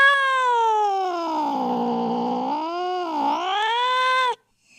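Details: Cat giving an angry call used to attract cats: one long unbroken moaning yowl of over four seconds, sagging lower in the middle, dipping briefly, then rising and ending abruptly.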